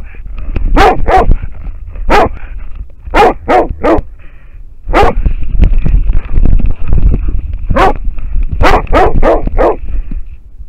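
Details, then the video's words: American foxhound barking at a wild boar, captured by a trail camera in Finland; loud, sharp barks in quick bursts of two or three, separated by short pauses, over steady low rumbling background noise. "amerikankettukoira haukkuu villisikaa / American foxhound barking at a wild boar"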